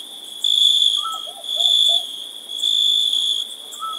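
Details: Crickets chirp on a summer night, trilling in high, steady bursts roughly a second long, with faint lower whistles behind.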